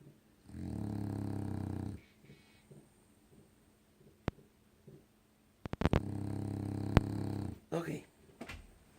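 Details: Pet dog Loki, fast asleep and snoring all night, gives two long, low, rattling snores of about a second and a half each, separated by a quiet gap with soft rustles and a few sharp clicks, then faint talking.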